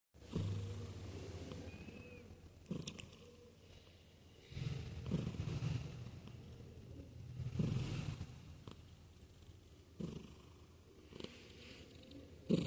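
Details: Sleeping domestic cat purring and snoring: a low, steady rumble that swells with each breath roughly every two to three seconds, with soft breathy rasps between, in a quiet indoor setting.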